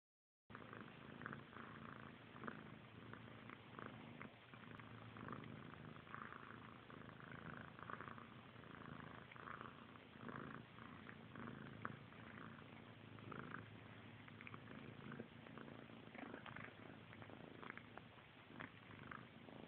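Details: Two kittens, a brother and sister, grooming each other while a low, steady purr rumbles on without a break, mixed with soft licking and rustling close to the recorder.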